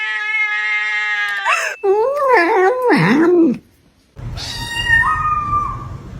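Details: Pet cat making weird noises: a long, flat, droning howl breaks into a wobbling, sliding, almost talking-like series of yowls, then after a short silence a rougher, higher, drawn-out cry.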